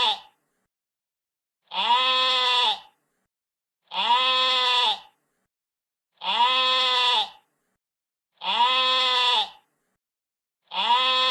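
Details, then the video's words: Sheep bleating, a harmonic, slightly wavering baa about one second long, repeated roughly every two seconds with silent gaps between; five calls, no other sounds. "What does a sheep sound like? | Real sheep bleating sound"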